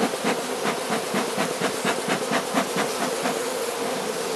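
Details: Carniolan honey bee colony buzzing as the hive is fed with the Mountain Camp method in southern Finland on 16 March 2017, +3 C outside; dense steady hum with pulsing broadband bursts roughly twice a second.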